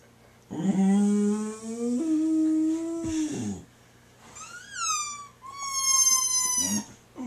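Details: Indoor Boxer dog howls in response to a squeaky toy: a sustained, slightly rising howl lasting over two seconds, followed by two thin, high squeaks from the toy.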